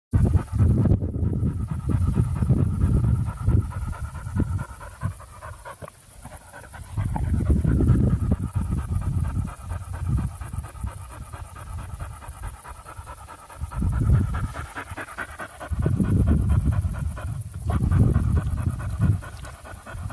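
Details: Russian hunting spaniel meeting a stork in Tver Oblast, Russia; outdoors, the dog pants in low, breathy bursts that come in uneven waves every few seconds, with quieter gaps between them and no barking heard.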